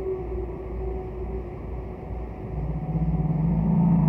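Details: Distant humpback whale singing, from Roger Payne's archival recordings: a faint sustained tone fades out, then a low, rapidly pulsed growl rises in loudness against a steady rumbling background hum.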